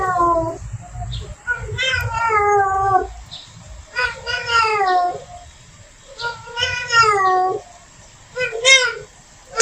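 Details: Calling to bring the male near, a female cat in heat gives four moaning, drawn-out yowls, each bending downward at the end, separated by brief lulls and a faint steady hum.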